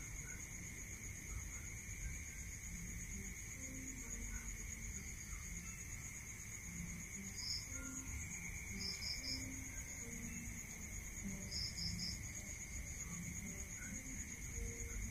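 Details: Rural crickets calling at night: a constant piercing drone of trilling insects with a few brief clusters of two or three high chirps later on, over a low rumbling background.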